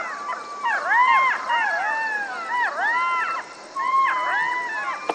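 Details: Several jackals in a dense yipping chorus, overlapping arched cries that rise and drop sharply, coming in three loud bursts with a short lull between them.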